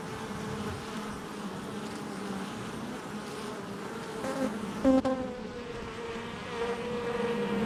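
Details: Honey bee hive entrance on July 22nd, 2024, a constant buzzing drone of many bees, with a bee flying close by partway through, giving a sudden louder, sharper buzz before the hum settles again.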